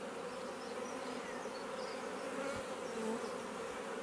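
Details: Honey bees flying in and out of a bait hive they moved into as a swarm, Leicestershire garden, England, June 2020; unbroken layered hum of many wings, a brief thump near the middle.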